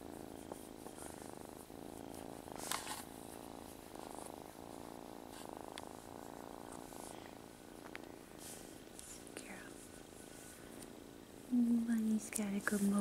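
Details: Kitten from a playful foster litter (Bunny, Gator, Sassy) purring in a low, even drone for most of the stretch, with soft handling noises, and a human voice breaking in near the end.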